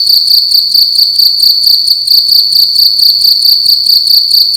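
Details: Cricket calling loudly indoors in a room at night: a continuous high, shrill chirping trill with a strong steady tone and faint upper harmonics, pulsing rapidly in quick regular bursts, loud and close, with no other sounds.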